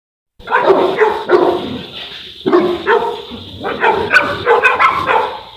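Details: Boerboel, or South African Mastiff, one of a pair of dogs living in Egypt, giving deep, loud barks in short clusters, some doubled, with brief pauses between bursts.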